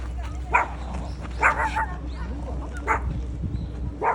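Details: Dog at the dog playground inside Boramae Park barking in short, sharp bursts about once a second, with faint voices and a low steady hum beneath.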